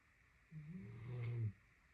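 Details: Great Dane snoring while napping: a single low, droning snore about one second long, growing louder toward its end before stopping abruptly, over faint steady background hum.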